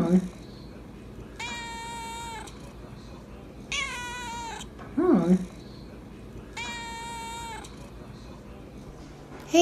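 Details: Calico polydactyl cat Debbie meows repeatedly while being offered turkey, long drawn harmonic meows about every two to three seconds, interspersed with a person speaking to her indoors.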